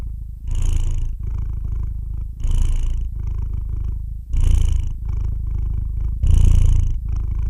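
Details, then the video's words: Cat's low, even purr runs throughout, swelling with each breath roughly every two seconds into a rougher, airy surge before settling back to the soft rumble. "the sound of a cat's roar"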